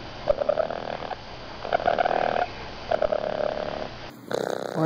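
A raccoon purrs in three rough, pulsing bursts, a sound of contentment when it feels safe.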